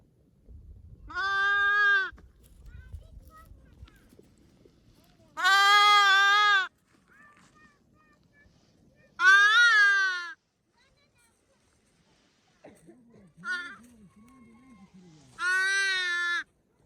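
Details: Loud bleats from a newborn baby lamb, four strong harmonic baas roughly every four seconds, some with a wavering quaver, plus faint rustling and a fainter higher call between them.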